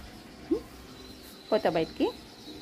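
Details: A dog's short rising yelps: one squeak, a pause, then a voiced harmonic whimper followed directly by a second upward squeak, all against a low constant hiss.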